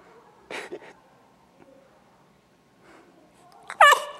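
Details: Nine-week-old gray female Newfoundland puppy playing with a ball, too lazy to get up and fetch it; soft scuffling and faint thumps, then one short, sharp yelping bark with bright harmonics near the end.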